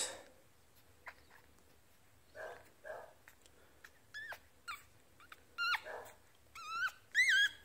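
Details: Tiny one-week-old Yorkshire Terrier puppy, teacup size, whimpering indoors: short thin whines that grow into rising-falling squeaky cries near the end, with soft handling noises and a person murmuring.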